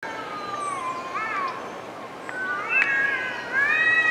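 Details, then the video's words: Cats arguing in the woods: long, wavering, nasal tones held and bending upward, one voice sliding higher near the end, steady whining growl-yowls with no pauses. "Cats Arguing in the woods"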